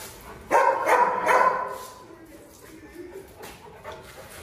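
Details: Presa Canario, lame but still spirited, lets out three quick, loud barks in a cluster, followed by quiet with faint background noise.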